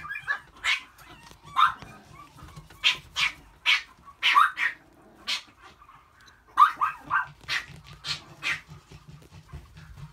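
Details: Male long-coat Chihuahua puppy, white and red, born 13 April 2018, barking persistently: around fourteen short, shrill yips in uneven bursts over ten seconds, some paired closely, with a soft low rumble underneath.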